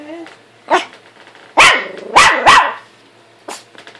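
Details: Buddy, a pet dog, barks at himself in a mirror; a few sharp barks, two close together mid-clip, with a faint human voice and quiet gaps.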